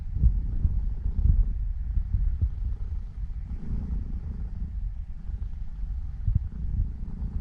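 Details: Purring from Elf, a female Norwegian Forest Cat aged seven, as she kneads and settles to sleep: a continuous deep throbbing drone, slightly uneven in loudness, with nothing else clearly heard.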